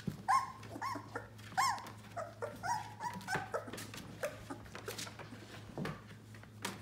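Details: Eighteen-day-old yellow Labrador Retriever puppies whine softly. Thin, bent whimpers come every second or so over a constant low hum and scattered clicks and rustles.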